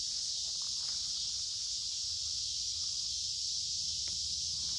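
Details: Many cicadas singing along a creek in summer woods on a warm, humid day: a dense, steady, high-pitched hiss-like drone that holds without a break, with faint footsteps and rustling underneath.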